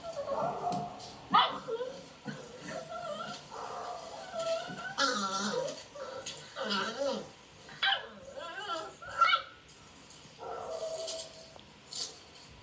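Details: Beagle puppies outside seeking attention, with others play fighting in a dog house; a steady run of wavering whines and yips, rising and falling in pitch, mixed with a person's voice.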